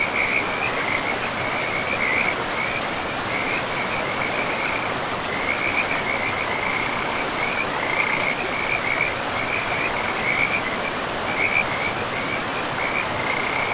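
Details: Forest river frogs in an unbroken chorus of quick, grating croaks repeated in short bursts across the whole stretch, with the broad hiss of the river beneath.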